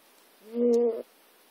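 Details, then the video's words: Sleeping cat Jack, dozing on notes and USB cables and twitching as he dreams, lets out one short, smooth, hoot-like moan lasting about half a second, with clear harmonics and near silence around it. "snoring and dreaming cat"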